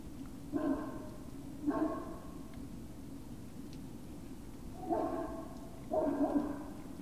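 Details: Great Dane puppies at Puppy Hill, recorded on the evening of 19 February 2019 around 19:45: four short harmonic yelping barks, coming in two pairs about a second apart with a pause between, over a steady low background hum.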